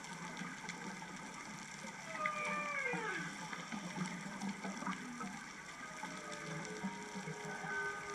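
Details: Humpback whale calls carrying through the water off Otochiyogahama, Hachijojima, Japan, on the morning of 23 January 2023, whale unseen; long tonal moans slide downward and sweep upward, some overlapping, above a steady low hum and watery background noise.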